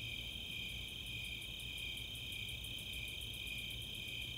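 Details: Snowy and Four-spotted Tree Crickets chorusing on a summer night at Chautauqua, Boulder, Colorado. Even pulsed chirps layered on a constant shrill trill, with very high Greater Angle-wing Katydid ticks repeating throughout.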